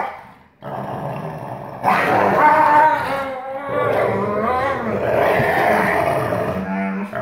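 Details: Growl play recorded on 1 August 2018 between father Astro, a black-phased 44% wolf, and son Kandor, 56% wolf, as the father shows dominance: loud, continuous, rumbling growls with snarling rises throughout.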